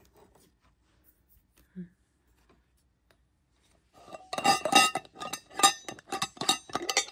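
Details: Near-silence, then a run of bright metallic clinks and clatters of dishes and cutlery in a small room, with no animal voice.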